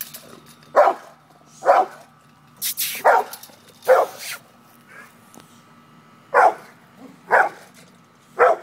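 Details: Pit bull facing off with a cat, letting out a run of sharp barks roughly once a second. A brief high hissing burst cuts in partway through.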